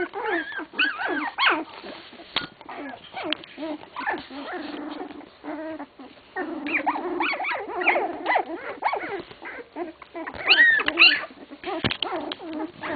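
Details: English Cocker Spaniel puppies, 16 days old, whimper and squeal in high, wavering, overlapping cries.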